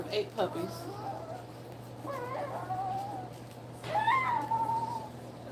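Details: German Shepherd puppies from a litter of eight, two weeks old, nursing beside their mother Cairo indoors: three high, wavering whines that rise then hold level and fade, with a steady low electrical hum underneath.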